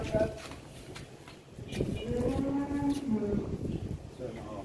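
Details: Sacrificial calf at Eid al-Adha 2021 after escaping from butchers: a long, low drawn-out moo in the middle, with men talking and shouting before and after.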